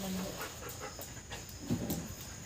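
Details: Labrador Retriever Arjun pants rapidly while waiting for his brother to come home from school, short breathy puffs repeating several times a second, with a brief low voiced sound late in the clip and steady room hum underneath.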